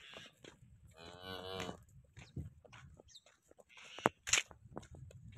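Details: Jani Best, a dairy cow at Muhammad dairy farm in Sargodha district, Pakistan, gives a brief, rich moo of under a second, followed by scattered knocks, clicks and shed noises.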